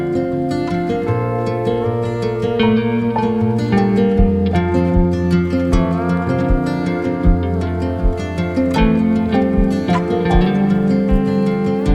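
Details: Gentle plucked-string music, harp-like, plays throughout with no animal sounds.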